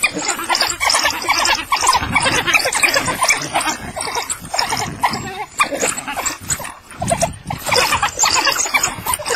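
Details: African wild dogs at Harnas, Namibia, while feeding: a dense, continuous chorus of overlapping squealing, twittering and chattering calls from several animals, with harsh bursts throughout and barely any pause.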